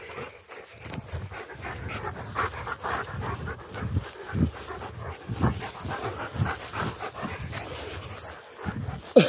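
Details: Two Rottweilers coming down from a tower, one panting in quick rhythmic breathy bursts with low thumps of movement throughout.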